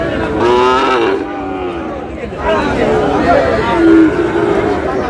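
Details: Sahiwal bull calves at a cattle market in Comilla, Bangladesh, on 31 March; a drawn-out lowing moo with layered harmonics rises over market chatter and men talking nearby.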